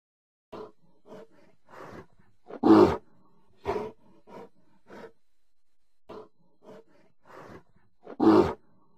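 A bear gives a series of deep, rough growls and louder roaring bursts.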